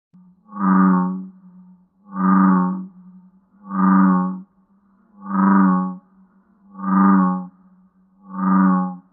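A frog calls with deep, resonant, buzzy notes rich in overtones, each lasting under a second. The notes come at an even pace, roughly every second and a half, over a faint steady low hum.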